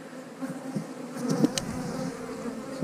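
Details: Colony of honey bees in an eight-frame hive, opened for inspection while the keeper makes splits; a dense, even low hum swells slightly midway, with faint clicks of frames being handled.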